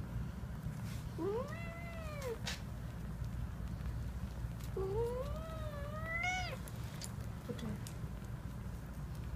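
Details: Domestic cat mother nursing her kittens gives two long arched meows, each drawn out about a second, rising then falling, with a soft low hum underneath.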